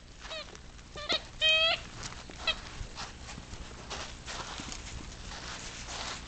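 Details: Ten-week-old English Cocker Spaniel puppies in a household with older spaniels give a cluster of brief piercing squeaky whines in the first two seconds, then faint yelps amid steady rustling noise.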